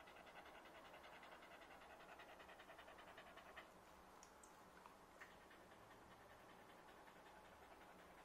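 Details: Quick rhythmic panting from a happy Corgi, soft airy breaths repeating steadily, with a few brief sharp clicks around the middle.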